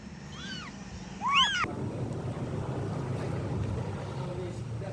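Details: Kitten calling its mother cat: two short, high mews, each arching up then falling away, the second louder and richer in overtones, then several seconds of low steady rumble and faint background noise.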